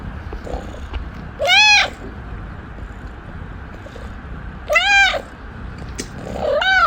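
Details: Begging house cat asking its owner for something: two strong, bent, harmonic meows about three seconds apart, then a third beginning at the close, each rising and falling, over a steady hum.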